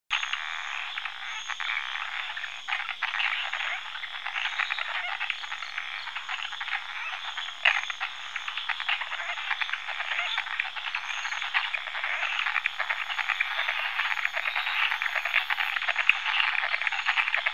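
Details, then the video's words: Frogs give a dense, rasping croaking chorus that rattles on without pause, described as a territorial croak warning off rivals but also labelled a mating call. "Frog Territorial Croak Free Stock Footage"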